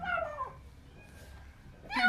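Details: Hungry kitten just found under apartment buildings, crying as it eats indoors; one falling wavering meow, a quiet pause, then another cry starting.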